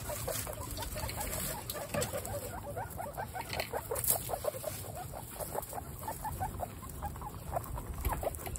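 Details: Pet guinea pigs, a household of 29 including the babies Snow, Pistachio and Pumpkin, at their first meeting. Short, mid-pitched squeaky notes come in quick uneven runs throughout, over a steady low hum and soft rustling.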